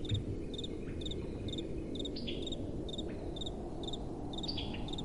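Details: At night, crickets give crisp, high double chirps at a regular pace of about two per second, with an occasional brief trill from another caller. Gentle wind murmurs low in the background.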